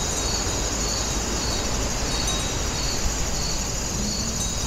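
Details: Pulsed insect chirps repeat roughly twice per second with a sustained high-pitched drone. Recorded among grass insects at the old Woninjae house in Incheon, with a persistent low roar of ambient noise.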